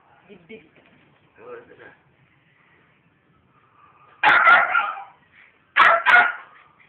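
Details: Two loud, full barks about a second and a half apart from Brando, a pet pit bull, following soft human voices and murmurs.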